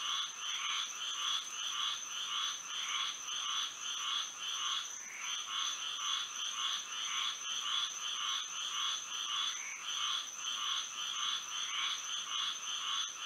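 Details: Florida frogs calling at night in moonlight, many voices merging into a steady throbbing chorus of repeated croaks nearly two per second, backed by a continuous high-pitched whine.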